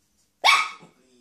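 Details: Shih Tzu giving one sharp, bright, high bark that cuts in abruptly and fades within half a second, leaving only a faint low hum in an otherwise quiet setting.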